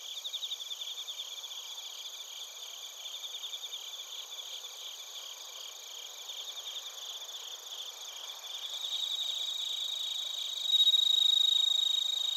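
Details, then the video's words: Crickets and bell crickets in Narita, Chiba, Japan, TASCAM Portacapture X8 recording: fast rhythmic high chirping pulses repeating steadily, growing louder toward the end as a sustained, bell-like pure tone enters. "スズムシとコオロギの鳴き声 - Chirping of crickets"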